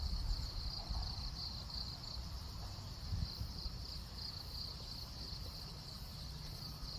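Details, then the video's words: Daytime cricket song, not recorded at night. A continuous high-pitched trill beats in quick, uneven pulses and runs the whole stretch, above heavy low-pitched background rumble. "귀뚜라미 소리 밤 아님주의"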